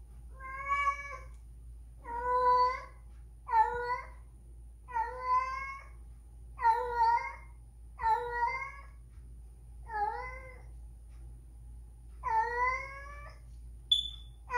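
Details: Whisky, a spayed female house cat in heat after two years, cries while seeking a male to mate: loud harmonic yowls with wavering pitch, about one every second or so, each drawn out and slightly rising then falling, over a low steady hum.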